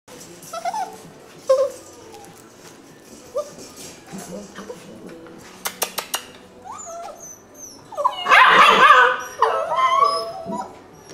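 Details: Rescue puppies, possibly a Labrador, spaniel and beagle mix, giving scattered short high whines and squeaks, with one louder, harsher whimpering cry near the end and a few clicks and taps between.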